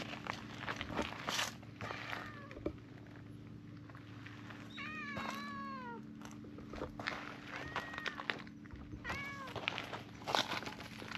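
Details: Stray cats climbing onto a bench to be petted: several short, rising-then-falling meows, one a quick stuttering series around five seconds, over a steady low hum and rustling handling noise.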